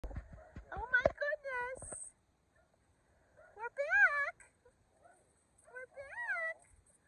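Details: Kumo the Keeshond and Sully the Boston Terrier greet their owners home from vacation. Excited, arched, yodel-like whining calls rise and fall in short bursts separated by quiet gaps, with faint background rustling.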